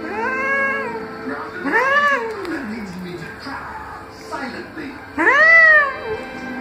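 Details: Irritated tomcat meowing, four or five long arching calls that swell and fade, the last one loudest, with a murmur of people talking in between.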